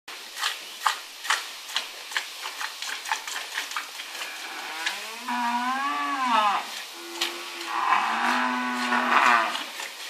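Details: Dairy cow mooing while a farmer milks her, filmed on a phone: rapid rhythmic squirts of milk, then two long wavering moos rising and falling, separated by a short pause.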